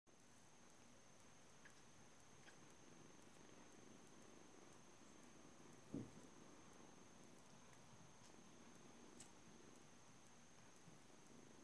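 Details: Seven-week-old British Shorthair kitten named Juno, a blue male from a cattery, purring quietly indoors; a low steady rumble runs throughout, with one brief soft knock near the middle and faint high electronic hum.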